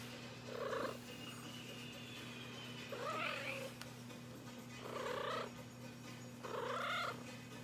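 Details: A young female house cat seeking attention from its owner at night; four short, tonal meows, each rising in pitch and about half a second long, spaced roughly two seconds apart over a steady low electrical hum.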